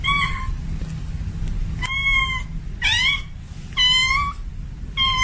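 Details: Domestic cat, a female in heat, calls to attract a male with bright, high-pitched meows roughly once a second, some flat and some rising then bending, over a steady low rumble.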